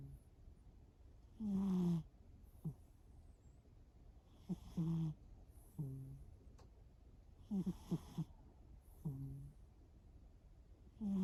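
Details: Sleeping cat Shimao snoring steadily. Short nasal snores come every one to two seconds, each a brief whistled tone sliding downward with a raspy, breathy edge. The room is quiet between breaths.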